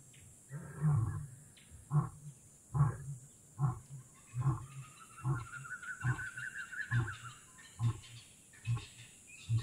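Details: Wild lion roaring in Kgalagadi Transfrontier Park: a series of deep, booming grunts, about one every second, fading gradually, while a bird's rising whistled call runs over the middle of the sequence.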